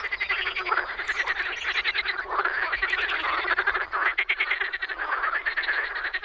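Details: Czech frogs in spring giving loud, fast rattling croaks, a thick continuous chorus of pulsed notes with brief rising tones woven through it.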